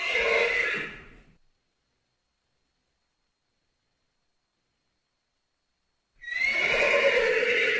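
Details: Thoroughbred horse neigh cut into two parts: a loud, harsh whinny fades out in the first second and a half, silence follows, then another strained, harmonic neigh begins near the end.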